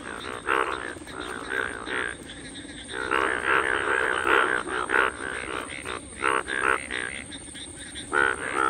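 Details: Indian bullfrogs, Hoplobatrachus tigerinus, in a natural breeding chorus at the onset of monsoon rains, June 2022, on iPhone; repeated rough, buzzy croaks from several males, bursts running together into a steady throbbing din.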